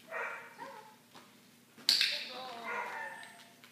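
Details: Benji, a 9-week-old Cardigan Welsh Corgi puppy newly brought home, gives a short harmonic whimper, a pause and a sharp click, then a longer wavering whine that slides downward, with a soft human voice nearby.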